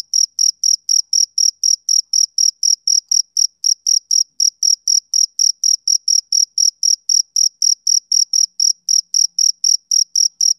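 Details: Summer-evening chirps from a male cricket, a clean, even train of shrill short pulses at roughly four per second, overtone shimmering above, background silent.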